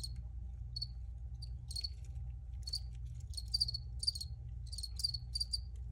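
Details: Crickets heard in a recording, scattered soft chirps at first, then a denser run of loud high pulsed chirps, several close together, over a continuous low droning hum.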